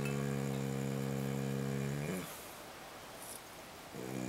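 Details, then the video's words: Hackett, a dog sound asleep at camp on a pack trip, snoring: one long droning, buzzy breath of about two seconds, a quiet pause, then the next snore beginning. "Hackett snoring"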